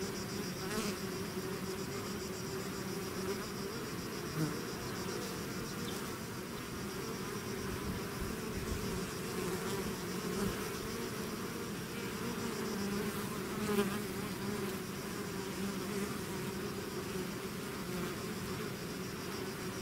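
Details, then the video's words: Swarm of bees flying out of its hive, a dense continuous buzzing hum with steady low drone bands and a faint high whine, overlapping wingbeats shifting slightly in pitch throughout. "bees therapy swarm natural buzzing sound"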